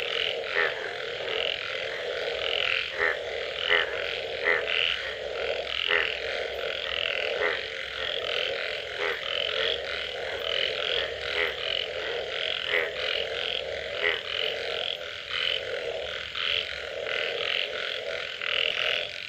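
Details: Frogs calling after rain: a dense, unbroken chorus of many callers, with low throaty croaks layered under higher pulsed trills and short bright notes popping out every second or so, steady in loudness throughout.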